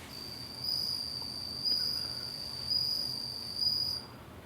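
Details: Bell crickets kept in captivity to provide insect voices; a pure, high, bell-like ringing tone in sustained trills of about a second, repeated roughly once per second with short gaps.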